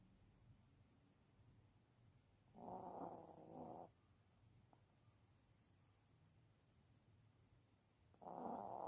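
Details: A sleeping Maltese snores gently. One rasping, harmonic breath of roughly a second comes early, and a second begins near the end, with faint, still background between the two.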